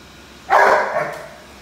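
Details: Rhodesian Ridgeback barking at a vacuum cleaner indoors: a single loud, deep bark with a quick onset and a fading tail, the rest quiet.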